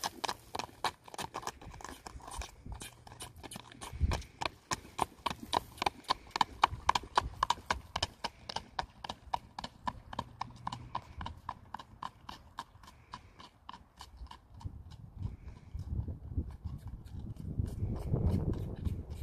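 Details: Standardbred gelding being ridden: a steady series of sharp hoof clops, close to two per second, fading slightly toward the end, where a low rumbling noise rises.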